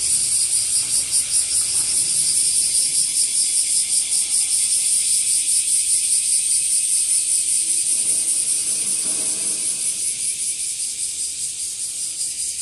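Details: Washiwashi, the bear cicada, singing as its numbers grow, found in trees and grass: an intense hissing buzz with regular rapid throbbing pulses, about two to three per second, that holds steady and eases slightly toward the end.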